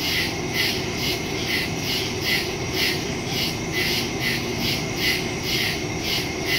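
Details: A nighttime woodland chorus of crickets, captured September 2, 2023 with a Shure MV88+ stereo mic on a Samsung Galaxy S22 Ultra. Bright, pulsing trills throb roughly every half second, layered above a constant low rumble.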